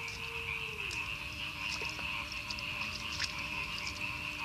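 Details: Frogs croaking in village rice fields on the edge of northern Madiun, Indonesia, after a night of very heavy rain and strong wind; a dense, unbroken high trilling chorus with scattered sharp clicks, plus a low steady tone that drops in pitch early on.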